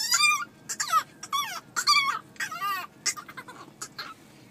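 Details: Pet dog 'talking' back to its owner with a run of high, wavering whimpers and yodel-like whines, several rising and falling glides in quick succession, while a person coaxes it to tell more.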